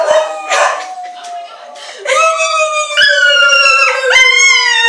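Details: Ona the dog crying with her owner in a small room: a noisy, breathy start gives way to a long level howl, then stepped, sustained cries rising to a higher pitch and dropping back.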